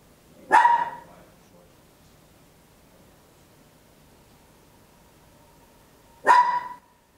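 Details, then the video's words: Papillon, a tiny dog, barking very loud at home, captured in stereo on an Olympus LS-11: two sharp single barks about six seconds apart, with quiet room tone between. "Tiny Dog Barking Very Loud, Papillon"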